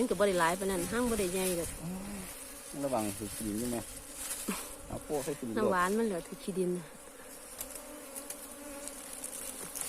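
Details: Asian honey bees by a wild cavity nest found deserted: loud buzzing flight passes with rising and dipping pitch for seven seconds, fading to a soft background hum.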